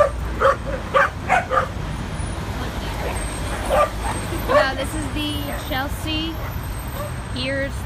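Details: Adopted dogs on their first visit to a west-side New York City dog park, playing and running around. Repeated short barks in clusters are followed by higher, drawn-out whining yips, against a constant hum of traffic and people talking.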